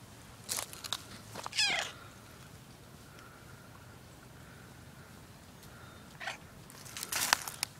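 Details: A pet cat gives a short, high, strained meow just before two seconds. Brief sharp clicks and rustles come before it, and a louder scraping burst follows near the end over a quiet, hissy background.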